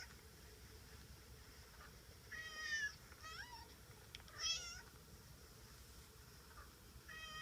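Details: A pet cat meowing indoors; a few high, wavering meows spaced a second or two apart, some with a rising then falling pitch, over a quiet room hum.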